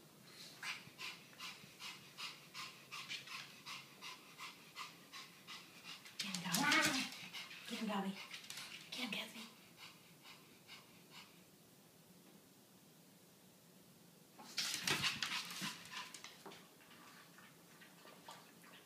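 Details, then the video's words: Brussels Griffons Gatsby and Bogart at playtime, the tireless Bogart pestering the others into a game: fast rhythmic panting, broken by two loud scuffling bursts of play noise, with a human voice in the background. "Brussels Griffon Playtime with Gatsby and Bogart"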